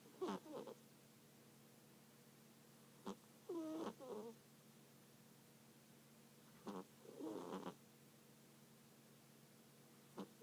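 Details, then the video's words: Sleeping cat snoring indoors: three bursts of voiced, buzzy breaths spaced about three to four seconds apart, each a short rasping inhale-exhale pair with wavering harmonics, over a steady low electrical hum. "Snoring cat"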